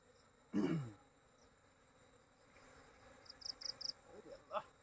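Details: Honeybee in a village, a loud low droning buzz swelling and fading within half a second as it passes close, followed by quieter rhythmic chirping of crickets in the background.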